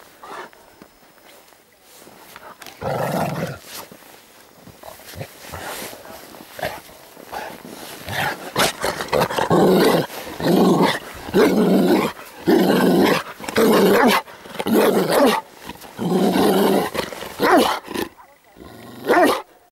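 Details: Bernese Mountain Dog weighing 63 kg, playing rough and trying to knock its opponent to the ground. Loud, rough growling roars come in a string of bursts about one per second after a quieter opening.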